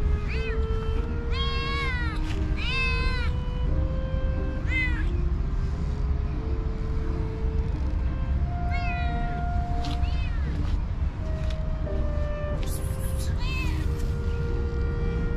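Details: Several hungry cats and kittens crowd around someone, meowing for food: short bright meows in quick bursts, scattered through the stretch, some higher and thinner like kittens, over a constant low rumble and soft sustained music notes.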